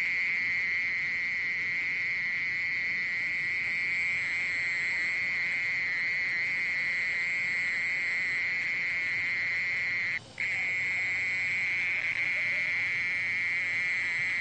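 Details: Continuous trilling song of a mole cricket, National Institute of Biological Resources, Korea, 2020: a long, level, high buzz sustained for about fourteen seconds, broken only by a brief dropout near the ten-second mark before returning unchanged.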